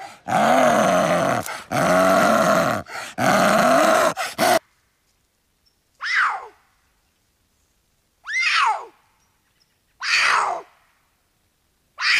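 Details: Big cats giving three loud, rich, harmonic roars in quick succession over about four seconds, then silence broken by four short, sharp, downward-sweeping snarls spaced roughly two seconds apart.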